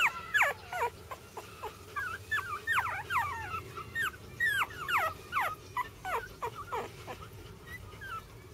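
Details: Sibling Jack Russell Terrier puppies keep up high-pitched whines and squeals, many sliding down in pitch, overlapping in quick succession about two or three per second, then thinning out near the end.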